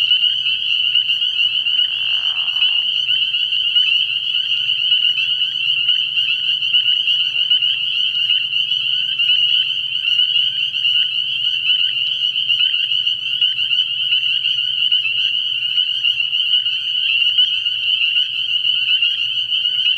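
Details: Night chorus of many spring peepers at a frog pond in early spring, high piercing peeps packed into one unbroken ringing band, a brief softer rasp near the start and a low steady hum beneath.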